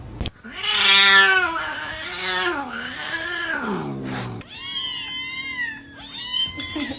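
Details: Cat giving a long, drawn-out wailing meow that wavers and slowly falls, followed by two shorter harmonic-rich meows, with a person speaking nearby.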